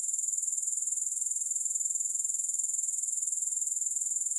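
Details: Grasshoppers give a steady, high-pitched shimmering trill of rapid, evenly spaced pulses, about two per second, with no music or other sounds.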